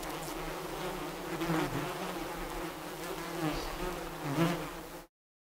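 Bees buzz steadily, a low droning hum that swells and fades as insects pass close.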